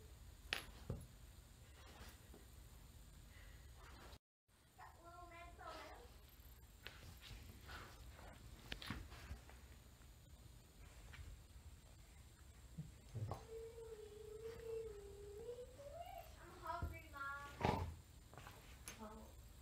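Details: Gracie, a female dog, unsuccessfully trying to get Pete the cat out of her bed indoors; a short wavering whine early on, then a long drawn-out whine held steady before rising in pitch, with faint household thumps in a quiet room.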